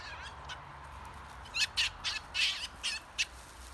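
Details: Two European polecats (Mustela putorius) fight near Emmeloord, Netherlands, giving a rapid series of harsh, hoarse screeches and squeals in aggression. They were very agitated and at first did not notice the people watching.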